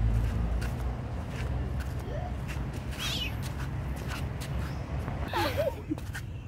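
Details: Kitten being given food, giving short high meows with wavering, bending pitch, one around two seconds in and a cluster of quick wobbly cries near the end, over steady low background rumble and scattered clicks.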